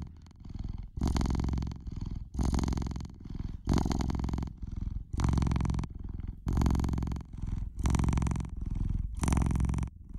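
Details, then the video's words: Loud rumbling purr from a pet cat, rhythmic and droning, rising into breathy, bright swells roughly every second and a half as the cat breathes in and out; no other sounds present. "Cat's Purr"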